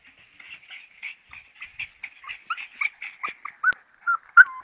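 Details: Siberian Husky puppies whimpering: a run of short, high, squeaky whines, soft at first and growing louder, with yelps toward the end and one sharp click.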